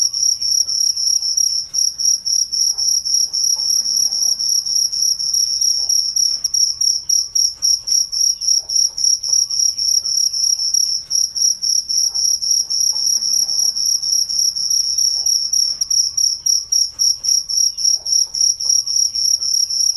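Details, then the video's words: Crickets at night keep up unbroken, shrill pulsed chirping, close to four beats per second throughout, with a faint higher overtone and barely audible low background noise. "Deep Sleep Cricket Sounds"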